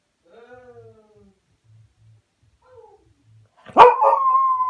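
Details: Cocker Spaniel named Spike crying while waiting for an owner who left in the car: thin, falling whines at first, then a sudden loud yelp that stretches into a sustained high cry.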